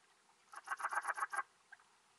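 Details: Alpine bush-cricket, Antaxius difformis, recorded at Timmelsjoch, Italy, on 26 August 2022: a short burst of about seven quick, evenly spaced scratchy chirps lasting under a second, then a faint single chirp.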